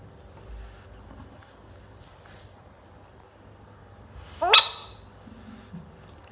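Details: A baby bullfrog gives a single short, harsh scream that rises sharply in pitch, over a quiet background hiss.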